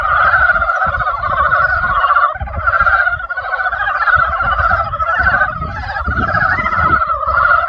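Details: A dense spring chorus of frogs, countless rapid pulsed croaks blending into a loud, continuous two-tone trill, with a short lull near two seconds before the calling surges back; faint low background noise.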